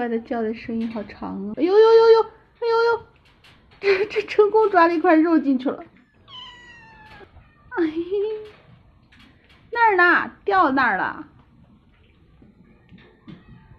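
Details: Several hungry kittens, shut in while food is prepared, meowing together to demand a meal after seeing meat; drawn-out, rising-and-falling harmonic meows, some high and long, mixed with a woman's chatter in a small indoor room.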